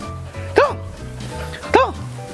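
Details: An 11-year-old Siberian Husky, being trained to bark on command and excited by its trainer, gives two sharp, arched, yippy barks about a second apart, answering a spoken "talk" cue, over quiet music and voices.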